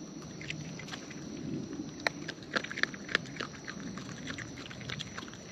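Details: Raccoons feeding in the wild, recorded close: a soft wet mashing murmur underneath, punctuated by sharp, irregular crunching snaps clustered in the middle, amid a faint continuous background hiss.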